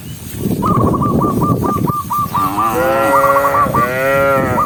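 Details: Dozens of big-horned cows walking together while being herded moo; one gives a long, rich moo that swells upward over a rapid run of repeated high chirps.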